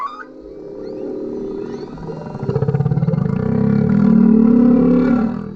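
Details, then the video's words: Male humpback whale singing directly under a kayak, captured with a GoPro: a drawn-out, growling low moan that pulses and swells in loudness, rising slightly in pitch toward the end. "Humpback whale singing underneath our kayak"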